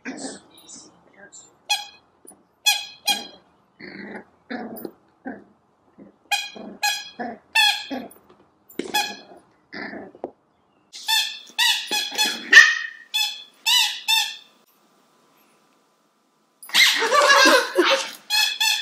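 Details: A pudgy female Cavalier King Charles Spaniel puppy named Herky, newly home in 2014, lets out many short, high, squeaky yips in irregular runs while people talk to her indoors.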